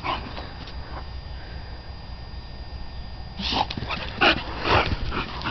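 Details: Titan, registered as West Wind's Whose Your Daddy, at play in a dog yard; a quiet, noisy start gives way after about three seconds to a cluster of sharp, high barks and yips.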